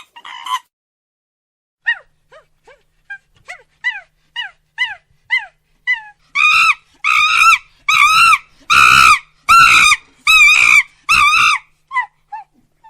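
A monkey gives soft, high squeaks, then bursts into loud, harsh screeching calls about once a second.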